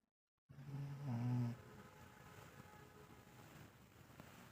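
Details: Sleeping dogs, a mother and her son, give one deep, rumbling snore lasting about a second, low and throaty with harmonic layers, then breathing fades to a soft, steady background hiss.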